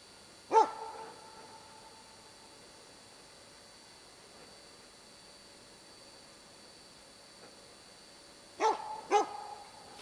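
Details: Dog holding a moose cow and two calves at bay, Båthussjön in Huskölen, 2008; one short bark, a long pause, then two quick barks near the end, with a constant thin electronic-like tone underneath.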